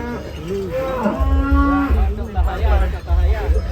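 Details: Cattle at a cattle contest in Banyuwangi, Indonesia, queuing for weighing; one animal gives a long, low, drawn-out moo with a steady tone, followed by a second rougher lowing, amid crowd chatter and low rumbling.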